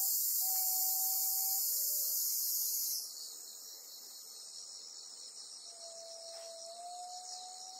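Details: On Amami Oshima, a black cicada trapped by a golden-web spider gives a loud, harsh buzz for three seconds that then drops away to a softer hiss, with level whistled notes sounding beneath.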